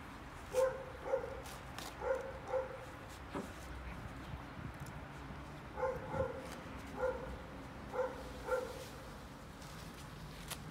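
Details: Golden Retriever puppy Hector, newly home for his first day and tearing up a paper towel, lets out clipped high-pitched yips in quick pairs, grouped in two bursts with a quiet gap between, plus faint tapping and rustle.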